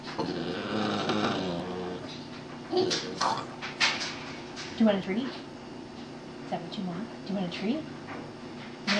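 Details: A Boston Terrier sings on cue for a treat in wavering, drawn-out howls, mixed with a person's upbeat spoken commands.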